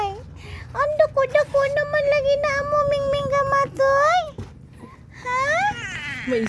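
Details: Three small kittens crying: sustained level meows, some rising and bending at the ends, mixed with a person talking softly in Cebuano close by.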